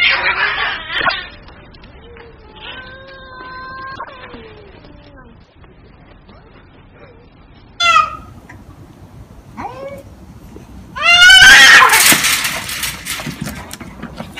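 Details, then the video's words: Cats fighting in the street: a harsh opening cry, then a long, steady, harmonic-rich yowl, a few short rising and falling wails, and finally a loud, raspy screeching burst as the fight flares up. "cats street fights"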